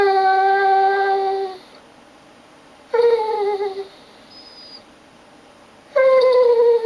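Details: Pike, a male German Shorthaired Pointer, cries indoors on a rainy day, bored and wanting a walk, tail wagging. Three long, steady, nasal whines of one to two seconds with short pauses between them.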